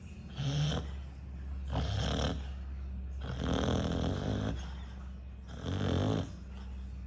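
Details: Sleeping dog snoring very loudly, likened to an electric drill: rough, rasping broadband snores in four bursts, the third long and drawn out, with quiet pauses between breaths.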